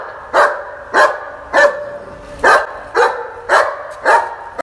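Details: A German Shepherd, recorded on 5 June 2021, barks in a steady series of loud, deep, full-throated woofs.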